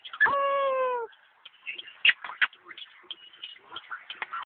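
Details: A 5-month-old male American Pit Bull Terrier puppy "sings", giving a brief, drawn-out howling whine that sags slightly in pitch.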